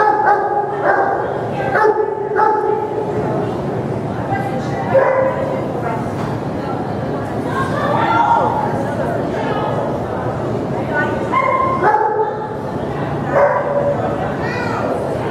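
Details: Giant Schnauzer at a CPE agility trial, giving short sharp barks in quick bursts, several close together early on and again near the end, over people talking and general arena chatter.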